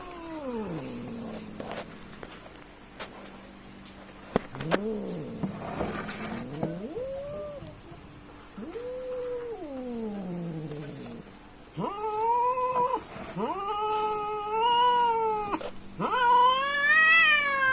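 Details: Fight between two village cats: low moaning growl-yowls rising and falling in arches during the first half, then louder, higher wavering wails in repeated bursts from about 12 seconds onward, intensifying toward the end.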